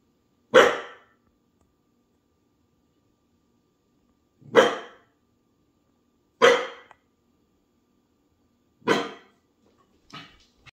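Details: Female Springer Spaniel and Portuguese Water Dog cross barking because she thinks she hears something: loud single sharp barks spaced about two to four seconds apart in a quiet room, the last one softer.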